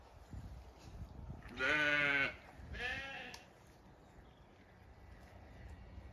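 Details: Zwartbles sheep calling to the farmer from an orchard on a regenerative farm in County Kilkenny, Ireland, while the flock eats windfall apples; one long harmonic bleat followed by a shorter second bleat, with quiet outdoor background.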